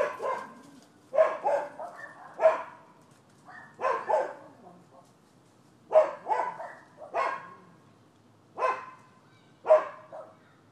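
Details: Neighbours' dogs barking, recorded 12/7/15 and described as nuisance animal behaviour: loud, harsh single and doubled barks in irregular bursts roughly every one to two seconds, with quiet gaps between volleys and no other clear sounds.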